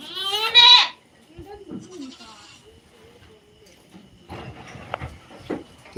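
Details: Native country goat giving one loud, quavering bleat lasting under a second, then quiet with faint distant bleats, soft rustling and a few sharp knocks near the end.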